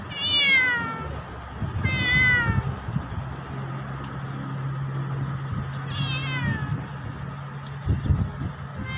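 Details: Black cat calling loudly at its owner, giving three strong meows that sweep downward in pitch, the first two close together, the third after a pause, over low household hum and a few soft knocks.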